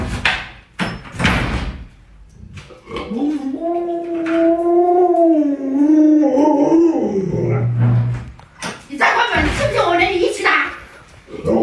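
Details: Alaskan Malamute Luoluo, a pet dog, vocalizing to wake an owner still in bed after sunrise: a sustained, wavering howl of about three seconds with rich harmonics, framed by human speech before and after.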